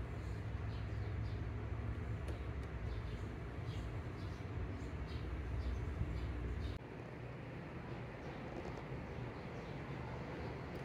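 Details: Steady low rumble of passing vehicles or a train, with a sudden drop in loudness near seven seconds and no animal voice.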